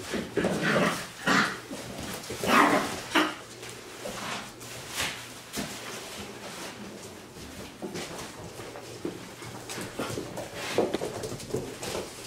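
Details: Six-week-old Wirehaired Pointing Griffon puppies, a litter of three males and five females, playing indoors in a house; short yipping barks and whimpers in irregular bursts, loudest near the start, with scrabbling paws and faint human talk.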